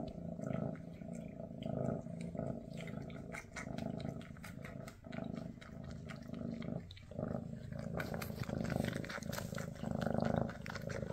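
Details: Mama Freya, a Maine Coon queen, with her kittens shortly before they leave for new homes: a continuous throaty purr swells and fades in soft pulses, with scattered taps and handling noises.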